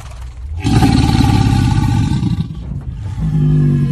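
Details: American alligator bellowing; a loud, deep, rumbling roar lasting about two seconds, a short pause, then a lower sustained vibrating rumble.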